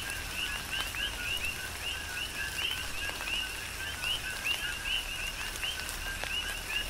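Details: Coqui frogs in a tropical rain shower on the Big Island of Hawaii form a dense rhythmic chorus of short two-note chirps, a lower tone then a higher upswept one, overlapping continuously, over steady rain patter and scattered drips.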